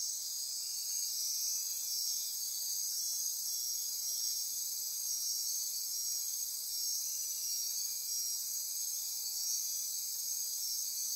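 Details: Midnight rainforest insects near Corcovado National Park, Osa Peninsula, Costa Rica, pulsing and ratcheting in a dense chorus; several high trills overlap in a continuous, even shimmer with faint pulsed streaks in the upper layer.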